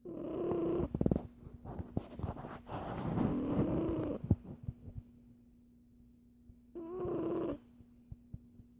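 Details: A sleeping Siamese cat (Felis catus), possibly dreaming, snores in rough, breathy bursts with a soft low rumble.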